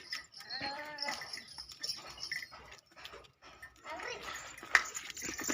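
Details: Mewati goat on a goat farm in Alwar; a short wavering, nasal bleat near the start, then quieter farm noise and faint background voices.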